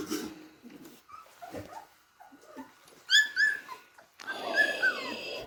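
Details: Three-and-a-half-week-old beagle puppies at play, giving quiet grunts and whimpers, then a few sharp high squealing yelps and a strained, wheezy whine.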